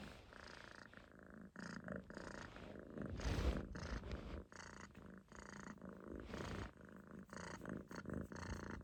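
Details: Munchkin kitten resting relaxed on its owner's stomach, sitting in a loaf and snoring: low purring rumbles broken by short pauses and breathy inhalations.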